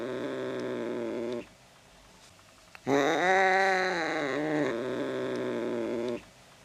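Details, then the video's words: Angry cat with a low, moaning growl that breaks into a louder rising-and-falling yowl, then sinks back into a lower wavering moan. "angry cat"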